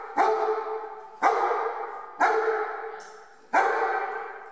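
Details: Four loud, resonant barks, roughly one per second, from Brela, a one-year-old German Shepherd attending a board and train program in Omaha, Nebraska; each bark fades slowly with a ringing, echoing tail.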